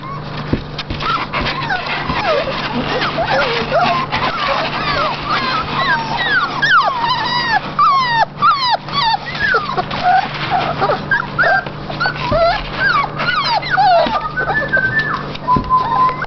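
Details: A litter of seven Golden Retriever puppies, held in a box while their bed is cleaned, keeps up a steady chorus of thin, squeaky, wavering whines that overlap over a faint low electrical hum.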